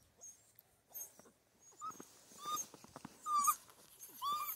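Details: Six-week-old Central Asian Shepherd Dog puppies, still nursing, in Michigan: thin, high whining squeals that rise and fall, repeated about once a second, with soft snuffling and rustling between them.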